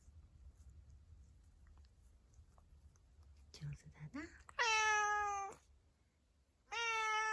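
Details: Tuxedo cat indoors, grooming its paws and answering its owner with two long, steady, clear meows, each about a second, after soft rustling and quiet talk; a low room hum underneath.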